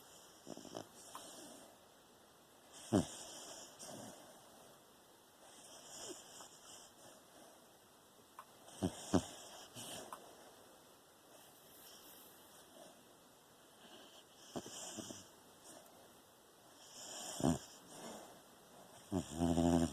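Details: Beagle sleeping with tongue out and eyes moving open, recorded September 15, 2020: soft, breathy snores come as short bursts every few seconds over a quiet, steady background hum.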